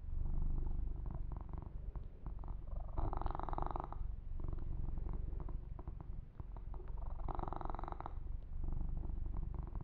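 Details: Deep, even purring from Yumak, a male kitten enjoying a massage; the rapid throbbing rumble runs throughout, with two louder stretches of fur-rubbing rustle close to the microphone.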